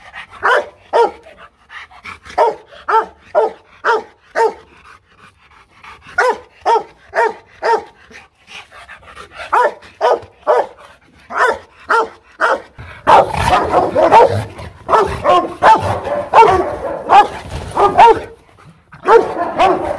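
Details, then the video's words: Aggressive Rottweiler barking at a Rottweiler kennel in Hoang Mai, Hanoi, Vietnam: loud, deep barks in quick rhythmic bursts of three to six, separated by short pauses. From about 13 seconds the barking becomes denser and overlapping, with several barks running together. "Tiếng chó sủa kinh hoàng| DOGS BARKING"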